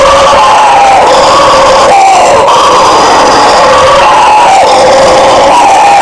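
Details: Howler monkeys in a loud, continuous chorus of deep roaring howls, several overlapping voices wavering up and down in pitch, swelling and easing without pause.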